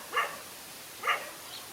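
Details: Dog standing up alone to two male dogs in a fight: two brief, clipped barks almost one second apart, with a faint high yip at the end over background hiss.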